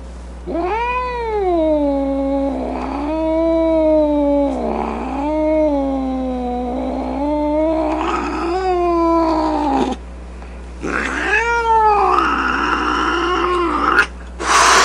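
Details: Domestic cat giving long, drawn-out harmonic yowls that rise and fall and run for several seconds each, broken by short gaps, with a harsher, noisier yowl near the end; grumpy, angry-sounding cat vocalizing.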